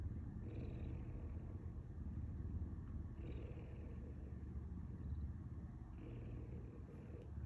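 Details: Simba the puma purring: a low, coarse continuous rumble that swells and shifts tone roughly every two and a half seconds as breathing alternates. Quiet room, no other sounds.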